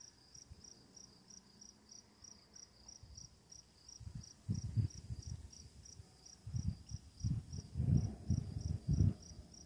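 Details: Crickets chirping at night near running water, with quiet lightning: a thin, even train of high chirps continues throughout while louder low rumbling bursts of water build in the second half.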